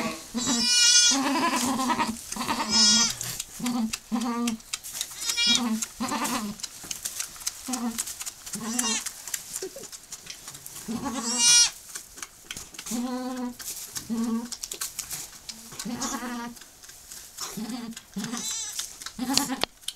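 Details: Goat giving birth to her second kid right after her first; short nasal bleats repeat steadily through the recording, with a few higher, longer cries standing out and people talking softly in between.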